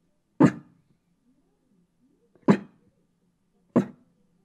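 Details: A Shiba Inu guarding its home gives three short, sharp barks, spaced a second or two apart.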